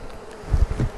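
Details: Honey bees in a hive being inspected give a low, swelling buzz as the colony grows temporarily agitated while frames are handled, before more smoke calms them down.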